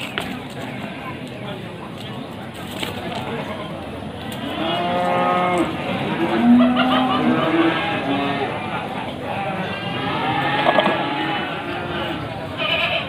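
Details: Male goats for sale before Qurban at Pasar Wage market in Panggul, Trenggalek, Indonesia, on 18 May 2020; several drawn-out, wavering bleats rise and fall through the middle, over steady crowd murmur and voices.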